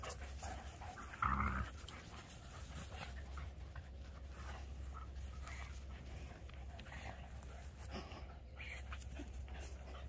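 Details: Voodoo, a Keeshond, and Tasha, a Greyhound, tugging on a toy ball together, recorded 21 March 2021; quiet airy panting runs throughout, one brief louder scuffle near the start, constant low background hum.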